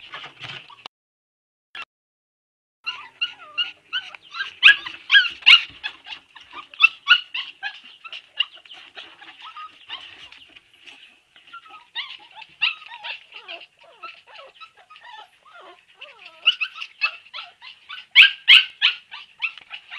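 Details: A litter of Siberian Husky puppies whimpering together, a near-continuous chorus of high squeaky whines and yips from many pups, swelling louder around the middle and again toward the end.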